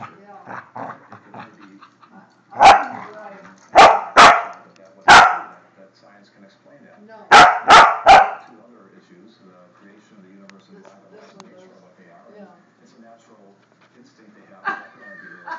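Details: Border Collie barking while attacking: loud, sharp barks in two bursts, first three or four spaced about a second apart, then three in quick succession, with a man's low voice telling it to stop between and after.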